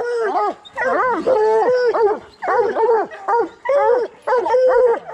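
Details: Coonhounds in training to hunt raccoons, bluetick and black and tan, give loud arched bawling bays in bursts about a second long, some notes held and drawn out, with short silent gaps between volleys.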